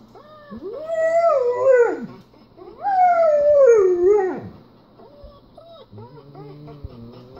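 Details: German Shepherd Kessem howls while watching another German Shepherd ride in a car; two long arching howls rising then falling, followed by softer short whimpering yips near the end.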